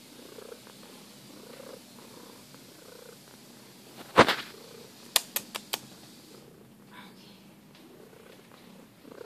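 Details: Purring from a 12-year-old rescued female cat, purring when looked at: a soft, low, rhythmic rumble in slow pulses, broken by a sharp thump and a few brief clicks near the middle.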